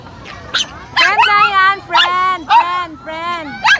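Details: Pomeranian meeting a new friend: drawn-out whining cries with a steady, slightly wavering pitch, about four in under four seconds, punctuated by brief high yips.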